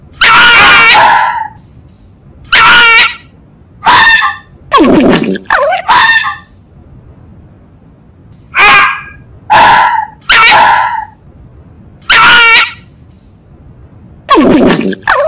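A fox gives loud, harsh, hoarse yelps in short bursts, repeated every second or two.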